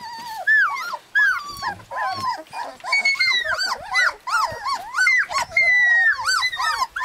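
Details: A litter of husky puppies in Lapland cries in high, bending whines and drawn-out squeals, many pups calling at once in an insistent, repeated clamour.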